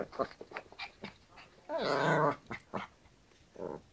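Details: Yorkshire Terrier indoors, playing with a hairbrush: short sharp yips, then a loud rough growling whine lasting about half a second, followed by a few more brief yelps in a small room.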